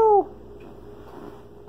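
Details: Bengal kitten Mangol, a chatty young cat in a home kitchen, lets out one short, clear meow falling in pitch at the very start, followed by quiet indoor hum and a faint tap.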